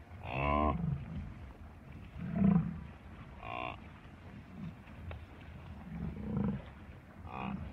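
American bison giving deep, rumbling grunts and short, harsh bellows in an irregular series.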